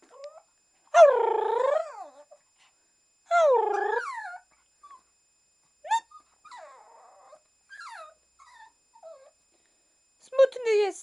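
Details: Tofik, a Shih Tzu asked if he is going for a walk, gives two loud, long, arched yowling whines about two seconds apart, then a string of shorter, softer whimpers and squeaks before a final rising cry.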